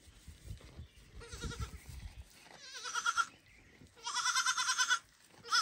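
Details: Baby goat loudly calling its mother so she will feed it, after watching her eat; three strained, wavering bleats lasting up to a second each, the longest near the end, with low shuffling and handling noise beforehand.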